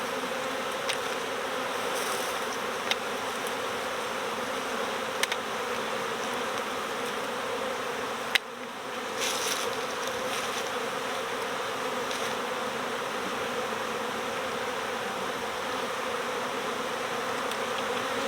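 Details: A swarm of honeybees in early swarm season, recovered from a neighbouring property, gives a continuous droning buzz with steady layered tones and a single sharp knock near the middle.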